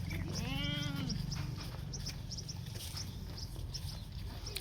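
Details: Holstein Friesian heifer calf, one month old, on a Maharashtra dairy farm: a single short, arched, bleat-like moo lasting under a second, followed by background chatter and clicking noises.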